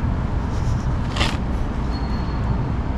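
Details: Steady low traffic rumble outdoors with a brief hiss; no animal voice is heard.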